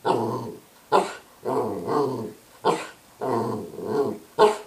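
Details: Dog making grumbling, talk-like growls that alternate with short sharp barks, roughly one bark per second-long growl, for a voicemail message.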